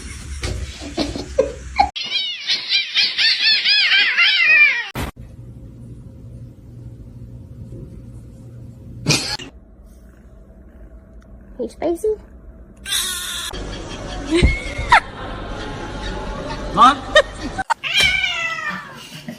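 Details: A male kitten gives high, thin meows that rise and fall, mixed with music, laughter and abrupt edits.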